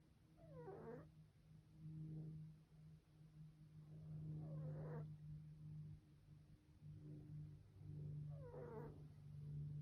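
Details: Jasper, a pet cat, sleeping and snoring very loudly, likened to a grizzly bear: raspy, rumbling breaths swelling and fading about every four seconds over a steady low background hum.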